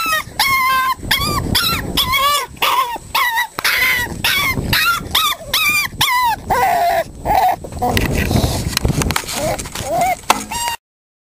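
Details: Five-week-old Staffordshire Bull Terrier puppies playing, letting out rapid high squeals and yelps, sharp harmonic cries about twice a second, with rustling and a voice in the background.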